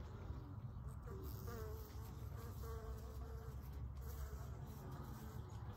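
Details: Western honey bees swarming all over after smoke is applied to their hive on a trailer slated for demolition; a constant agitated buzz over a heavy low rumble, with faint wavering tones throughout.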